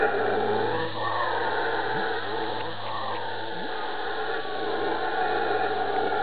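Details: Howler monkeys from Ilha Grande off Rio de Janeiro, Brazil, giving a deep growling roar over a sustained droning backdrop, with short gruff upward-swooping bursts around two and three and a half seconds.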